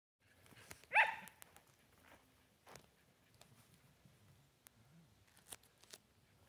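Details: Shetland Sheepdog playing with a new flying squirrel toy: a single short, sharp yip just after the first second, then only quiet rustling, soft taps and scattered clicks for the rest.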